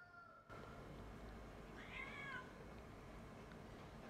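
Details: Abandoned domestic cat about six months old, left on the street by its owner a day earlier and now nervous and agitated among strays, gives a single short, wavering meow near the two-second mark over a steady background hum.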